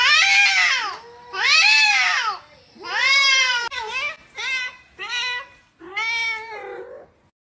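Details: Pet cat meowing loudly and insistently, long arched wails followed by shorter clipped meows, about six calls in quick succession with short pauses in a quiet room.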